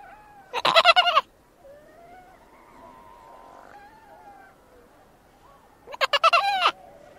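A seal gives two loud, harsh, bleating wails, with softer wavering moans between them.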